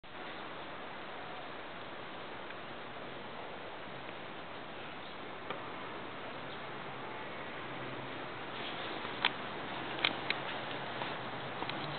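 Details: Only a steady outdoor hiss is heard, with a few faint clicks near the end and no clear animal voice.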